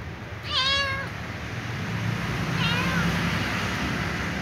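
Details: Small ginger cat meowing and whining for dry food: a clear, wavering, drawn-out meow near the start, then a fainter, shorter one about two seconds later, over a steady low hum.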